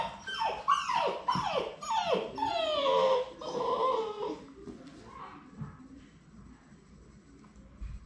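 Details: On their final day at High Desert Labradors before going home, Labrador Retriever puppies give several sliding, downward-curving whines in the first half. The crying then fades into a quiet room murmur.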